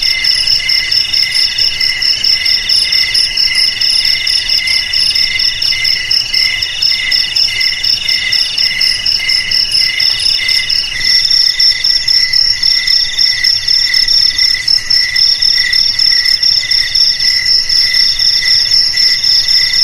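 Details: Sustained high-pitched cricket trilling, promoted as a remedy against rats in homes, garages, warehouses and paddy fields, with fast regular pulses and several layered tones whose rhythm shifts midway, continuing unbroken for twenty seconds.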